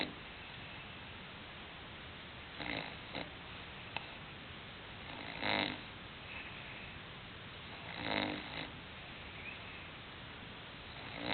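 An English Bulldog snores in rough, breathy bursts that recur every few seconds.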